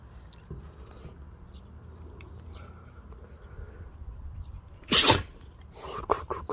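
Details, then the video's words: Siberian Husky sneezing indoors: a single sharp, explosive burst of breathy noise near the five-second mark, followed by a few soft snuffles and rustling, with a quiet low hum before it. "허스키 재채기~"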